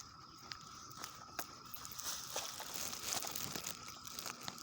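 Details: A steady, droning cicada chorus, with cicadas everywhere, hums beneath scattered crackles and crunching footsteps close by, early Sunday morning, first week of June 2021, Leesburg, Virginia.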